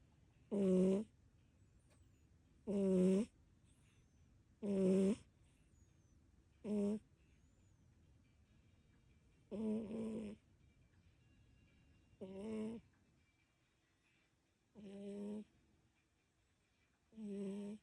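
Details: Sleeping tabby cat named Kiki suddenly snoring: eight short, rough, harmonic-rich snore bursts spaced about every two seconds, each under a second long, in a quiet room.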